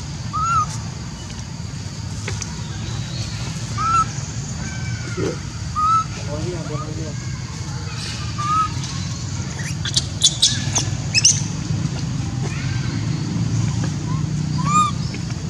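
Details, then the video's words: Baby monkey Leo in Siem Reap Angkor Park, screaming and crying for his mother Libby after she left him alone: short, high, wavering squeals recur every few seconds over steady low rumbling background noise. "So Pitiful Little Baby Leo was Asking For Mom While Libby Leave Him A lone Screaming and Crying"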